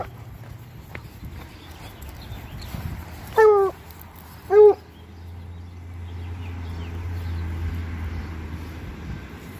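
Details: Bluetick Coonhounds out on an ordinary walk through town, giving two short, clear, tonal yelping howls just over a second apart, each slightly falling in pitch, over a steady low rumble and faint background noise.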